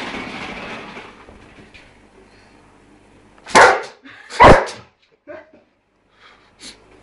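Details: A German Shepherd barking on seeing a toy mouse for the first time: two loud, sharp barks about a second apart, then a few fainter short sounds, after a stretch of low rustling at the start.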